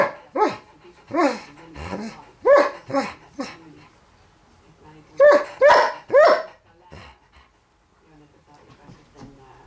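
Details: Pet borzoi barking because her toy is stuck under the table where she cannot get it; quick runs of short yappy barks, a pause, then three more barks, with a human voice mixed in.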